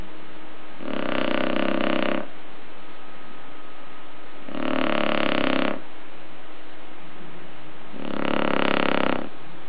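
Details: Shar Pei dog snoring while asleep indoors: three loud, harsh, rattling snores, each over a second long, repeating about every three and a half seconds with quieter breathing between.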